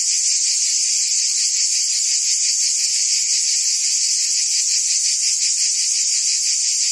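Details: Cicada buzzing among forest trees, a loud continuous metallic whine with a regular throbbing beat, nothing else standing out.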